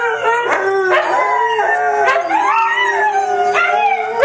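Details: Group of three white huskies in a howling singalong, several long tonal howls overlapping, rising and falling in pitch with brief yips cutting in between.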